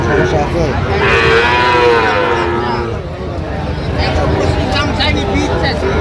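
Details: Sahiwal cattle at a cattle market in Cumilla, Bangladesh, on 18 September 2025, where a farmer buys a bull calf. A drawn-out, harmonic moo lasts nearly two seconds over steady chatter and bargaining voices of men nearby.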